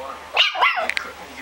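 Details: Ringu, a puppy, gives two short high-pitched yips in quick succession, bright and harmonic, followed by a couple of faint clicks against a low steady background hum.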